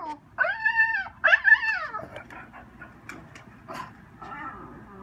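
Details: French Bulldog at home reacting to window washers, giving two drawn-out arching yodel-like howls, then quieter scattered whines and scuffing sounds.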